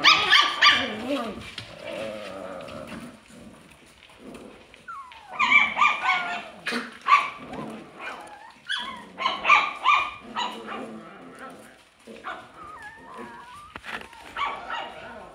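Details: Alaskan Klee Kai puppy mixing low grumbling growls with quick barks, then rising and falling whiny, whistle-like howls toward the end.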